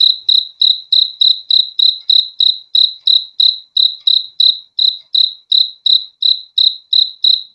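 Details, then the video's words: Cricket chirping: steady, high, pure-toned chirps repeated about three times a second, each pulse sharp then fading, with no other sounds present. "BEAUTIFUL SOUND OF CRICKETS"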